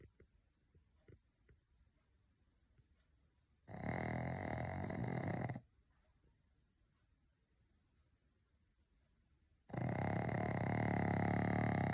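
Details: Loud snoring from a pug dog, two separate bursts of harsh, rattling breath a few seconds apart, each steady and rough, with near silence between them.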